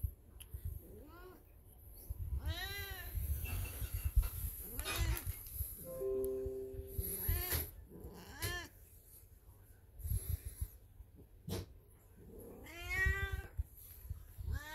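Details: Old black cat Beni, in heat, yowls several times among household clatter and thumps, with a brief steady electronic tone midway and a final loud meow near the end.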